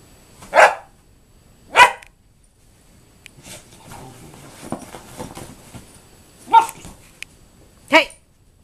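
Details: An 11-week-old German Shorthaired Pointer puppy going crazy while playing on a sofa in an office: four sharp, loud barks in two pairs about five seconds apart, with softer scuffling and rustling between them, indoors.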